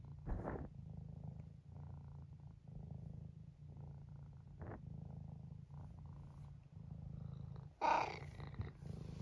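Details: Nearly 12-year-old male tabby cat from Great Britain purring indoors; continuous low rhythmic purr broken by soft short chirps, with a sharper meow near the end.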